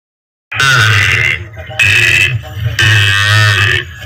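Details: A calf moos loudly in three long, strained, harmonic bawls, each lasting about a second, separated by short pauses.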